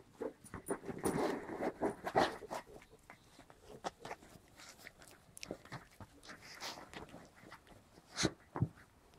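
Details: White Großspitz puppies, seven weeks old, from a litter of five females and one male, romp and tussle indoors over toys. Dense bursts of scuffling, small growls and yips come in quick succession, loudest early on, with soft German speech nearby.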